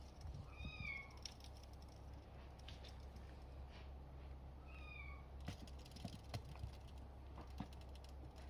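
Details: Young male Bengal cat, a kitten born June 21 at a breeder's, giving two clear, high, slightly descending mews about four seconds apart over low room hum and faint clicks.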